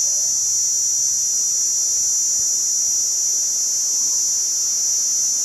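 A cicada gives a steady, high-pitched electric drone that holds without a break.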